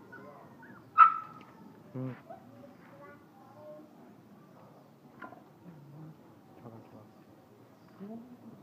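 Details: Black pit bull crossed with Dalmatian puppies, a litter of six, three female and three male, dewormed and vaccinated, in Hoang Mai, Hanoi; one sharp loud yelping bark, a second shorter bark a second later, then faint whimpers under people talking.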